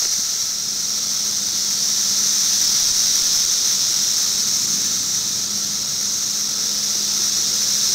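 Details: Periodical cicadas recorded in 2008, droning in a continuous shrill buzz that never pauses, with a weaker steady whine lower down and a faint low hum in the background.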